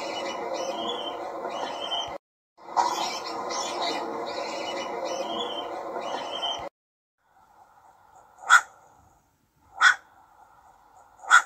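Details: Young ringtail (cacomixtle) voice: a long, dense stretch of broadband noisy sound with a short gap, then three separate sharp barks spaced over a few seconds against a faint hum.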